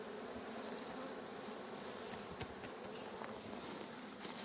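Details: Fresh honey bee swarm being guided into a hive by a beekeeper, recorded handheld outdoors: continuous thick buzzing drone, even in loudness, with scattered soft ticks over it.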